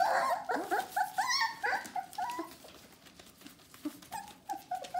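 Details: Four-week-old Bohemian Shepherd puppies of a litter whimper indoors, a chorus of short, high, squeaky whines rising and falling in quick succession, several pups calling over one another, fading quieter midway then picking up again.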